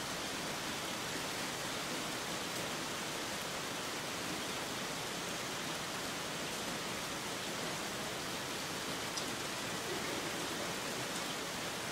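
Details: Steady, heavy rain pours down as an even, hissing roar throughout, with no animal voices standing out above it.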